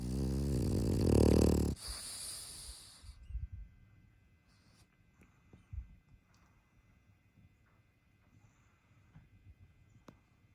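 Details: A French bulldog snores with a long, loud, buzzy rumble of nearly two seconds, followed by quieter, irregular snuffling breaths and soft snorts.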